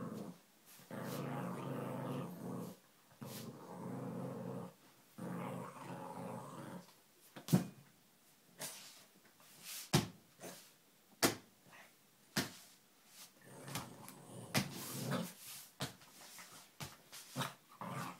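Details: Playing Lhasa Apso growls in several low rumbling bursts of one to two seconds each, separated by short gaps, with sharp knocks, taps and scuffling noises throughout in a small indoor room.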